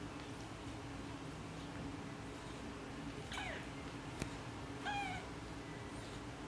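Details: Tiger cat mother talking to her kittens, with two short meows: a falling cry around three seconds in, then a clearer harmonic call rising and falling near five seconds, over steady low background hum and a single sharp tap.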